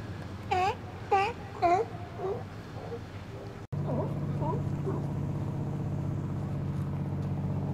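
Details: Sunny winter day in January 2012, resident Steller sea lions relaxing in the outer harbour and chatting: three loud, rising-falling harmonic moans about half a second apart, then softer short calls over a steady engine-like drone.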